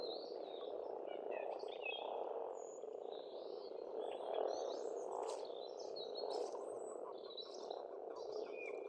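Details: Frogs chorus at a pond on a farmstead in Estonia in spring: a dense, steady low croaking drone that fills the whole stretch, while birds chirp and whistle in short, high notes above it.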